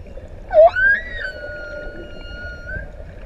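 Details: Singing humpback whale among six adults off ʻEua island in Tonga; a quick rising whoop sweeps up into a long steady whistled tone held for about two seconds over quiet underwater hiss.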